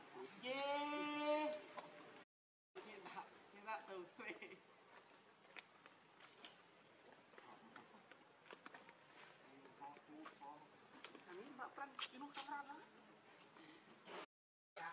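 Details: Baby monkey Lucie, very hungry for milk, gives a loud, tonal, wavering cry lasting about two seconds. After a short gap comes softer scattered chatter and rustling, with faint higher squeaks.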